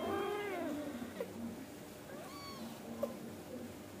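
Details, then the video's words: Angora cat family indoors, a mother scolding her kittens toward sleep: a drawn-out, wavering, whining meow opens the moment, followed by softer overlapping mews and small chirps from the kittens. "Suara Kucing Indukan Ngomel Sama Anak Agar Cepat Tidur & Tidak Bandel"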